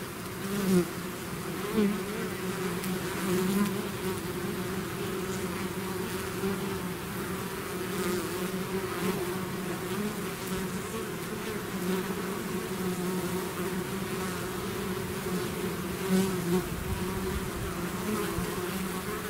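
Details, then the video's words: Swarm of bees leaving their hive, continuous dense humming with layered low tones that waver slightly as individual bees fly nearer, constant level throughout. "bees therapy swarm natural buzzing sound"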